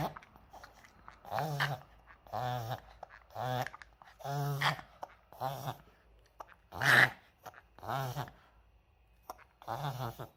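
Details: Indoor Maltese dog in a reverse-sneeze fit, first feared to be a seizure and later identified by a vet: rhythmic honking, snorting gasps about once a second, each a short harsh burst, near-silence between.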